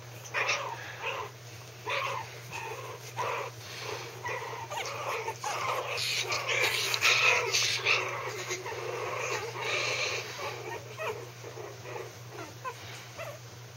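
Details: Maltese puppies at 3 weeks old tussling in their pen, growling, howling and having fun: dense run of squeaky yips, whimpers and scuffling, several pups vocalising at once, with a constant low electrical hum beneath.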